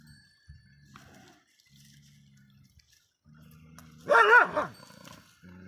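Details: Shiro, a dog, barking at other dogs: one loud harsh bark burst near the end, with quieter low humming sounds before and after.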